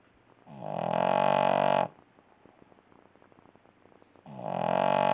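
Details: Cavalier King Charles Spaniel snoring while asleep at night indoors: two long, loud rasping buzzy snores about two and a half seconds apart, with quiet breathing between.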